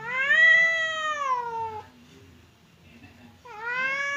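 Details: Two domestic cats, an aggressive one named Temon and a quiet one named Lelo, kept apart by a divider, yowl as if about to fight: a long wavering harmonic wail falling at the end, a pause, then another rising howl.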